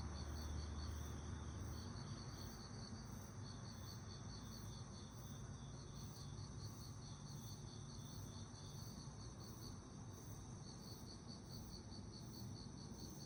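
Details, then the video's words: Summer night crickets giving continuous fast, evenly pulsed high chirps, with fainter still higher pulsing above and a low steady hum beneath. "여름밤 귀뚜라미 소리"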